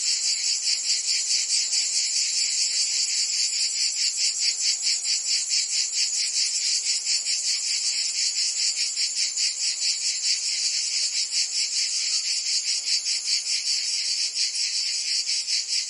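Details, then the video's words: Cicadas in a Provence summer, France, filling the air with an unbroken shrill buzz, finely pulsed in rapid even throbs, the intensity holding steady throughout. "Cicadas singing in France (Provence)"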